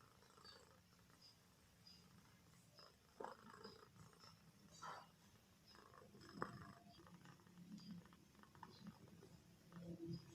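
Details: Comel, a pet cat asleep on a bare floor without a mat, ears twitching, snores softly: a low rasping, purr-like breathing rumble that rises and falls unevenly, with faint clicks and a steady background hum.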